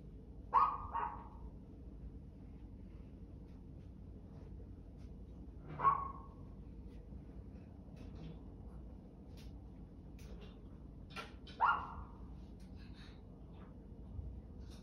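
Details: Dog giving single clipped barks, some with a short trailing second note, roughly every five to six seconds, with faint clicks and knocks between them against a quiet hum.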